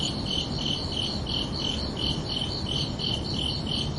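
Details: Crickets chirping under a night sky on a summer evening: steady pulsed high-pitched chirps, about three per second, in two stacked bands, over a soft low background hiss.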